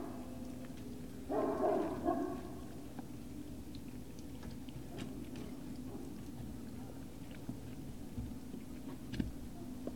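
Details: A single Great Dane puppy vocalization from Puppy Hill, recorded the evening of 19 February 2019: one short, tonal, whining burst lasting about a second, followed by a steady low indoor hum and faint clicks.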